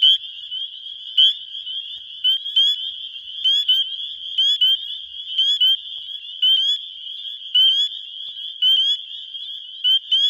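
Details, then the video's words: Wisconsin spring peepers, males calling for mates early in spring, phone recording: a close male gives loud, short rising peeps about every half second over a constant shrill background chorus. "Spring Peepers (Pseudacris crucifer) calling for lovers"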